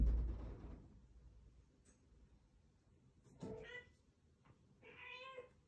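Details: A Scottish Straight cat named Fumiko, bringing back her ball, gives two short, soft meows after a loud thump at the start. The room is otherwise quiet.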